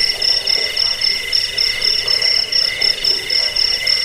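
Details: Cricket sound used against rats, as a sleep aid and for bird song training: shrill pulsing chirps repeating briskly over layered high continuous trilling, steady loudness throughout.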